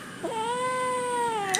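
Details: Kitten's prolonged plaintive mew, held level for over a second with a small rise at the start and an upward flick at the end, answering a person who asks in Malayalam what it wants; a short click follows.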